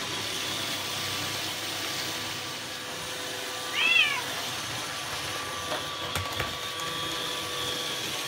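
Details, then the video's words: Bengal cat named Ranmaru, curious about a robot vacuum cleaner, gives one short rising-then-falling meow midway through, with steady indoor background hum and a few faint clicks afterward. "ベンガル らんまる と お掃除ロボット"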